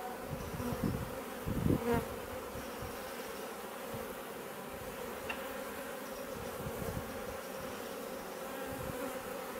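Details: Garden bait hive in Leicestershire, England, newly taken over by a honey bee swarm in June 2020; constant humming of many bees, a close bee passing loudly near the start, faint bird calls behind.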